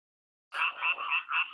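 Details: Frog croaking, self-recorded as a nature sound: after a half-second of silence, a quick series of four or five nasal, bright croaks follows, each about a quarter-second long, with two stacked tones and nothing else heard.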